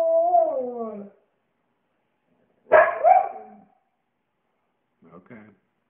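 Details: A singing Siberian Husky answers its owner's questions with drawn-out, wavering howls that slide downward, then a brief rougher grumble.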